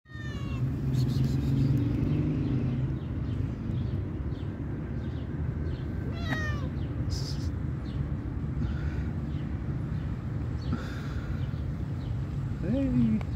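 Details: Stray cat giving a few brief meows, one near the middle and a bending, drawn-out one at the end, over a constant low rumble of traffic and street noise, with faint chirps above.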